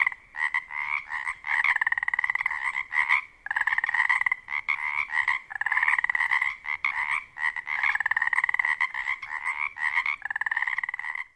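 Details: In spring at dusk in a wetland near a lake on the Olympic Peninsula, Washington, mating male Pacific chorus frogs chorus loudly to attract females. Their raspy two-part croaks overlap into a steady, rapidly pulsing din.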